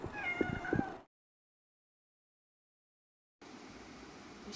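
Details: Cat meowing at home, where the pet cat Zurro is possessive of his food and reacts to a stray cat eating it; one short, wavering meow fills the first second, then silence and a low background hiss.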